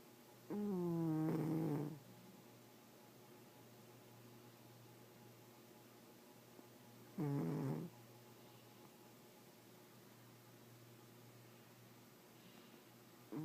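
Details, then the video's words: ['Domestic cat that snores all the time, heard snoring in its sleep: two buzzy, nasal snores about six seconds apart, each with a slight wavering pitch, then a short third snore beginning at the end, over a faint steady background hum.'] "Snoring kitty"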